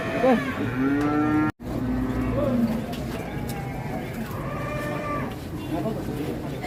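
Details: Pegon cattle at a crowded cattle market: a clear, rising moo opens, then a short break and a second, lower, wavering low, with market voices and chatter running underneath.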